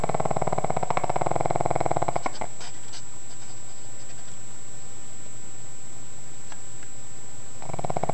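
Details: Pug snoring in its sleep: a rough, rapidly pulsing rattle for two seconds, a few soft clicks and breaths during a long quiet gap, then the next snore starts up.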